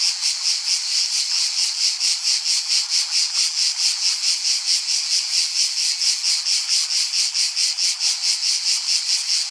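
A cicada sings a loud, buzzing drone pulsing about twice a second.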